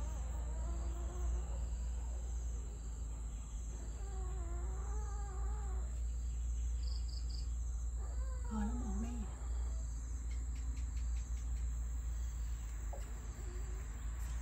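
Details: Puppies crying: thin, wavering, high whines come in three short bouts, around one, five and nine seconds in, over a steady low hum that runs throughout.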